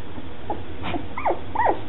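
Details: Red and black standard poodle puppies, two weeks old, from a planned litter, making short high whimpering squeaks, three falling whines near the end, over quiet room noise.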